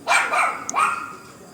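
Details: A dog wandering in a garden, newly taken in after turning up unknown; two short, strained bark-like yelps, the second drawn out and fading, with a brief click between them.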